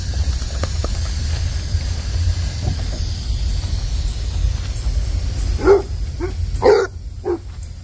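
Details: Basset Hound puppy playing with a water hose on a warm Tennessee day: steady hissing spray of water throughout, then three short, sharp barks in the last two seconds.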